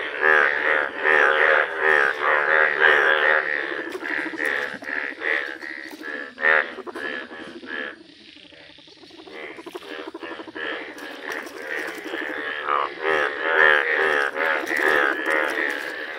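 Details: Village chorus of yellow Indian bullfrogs, a thick stream of harsh, buzzy croaks from many animals that briefly slackens midway, then swells back to a full, continuous racket.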